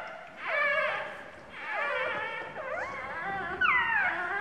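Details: A two-day-old newborn puppy, possibly hungry, gives high, wavering whimpers in repeated drawn-out bursts, crying in distress for help when its mother sits on it.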